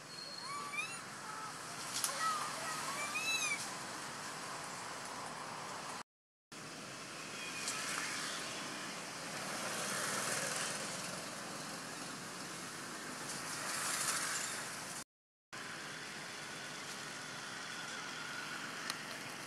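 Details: Little monkey Bailee crying after monkey Bella hurt her: a run of wavering, sweeping high cries in the first few seconds, followed by rustling noise and brief gaps of silence.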